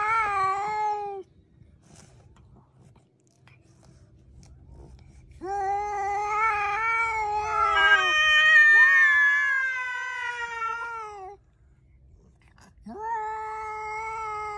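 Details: Pet cat giving long, loud, drawn-out meows indoors. A short meow is followed by a pause, then a sustained wailing cry of several seconds that bends and breaks in pitch. A final steady meow closes it.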